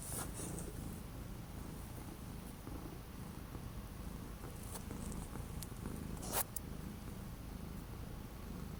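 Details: Orange cat kept indoors on 12 January 2025 after several days of strong wind and bitter cold, purring with a steady low rumble throughout; a brief sharp click stands out near the end.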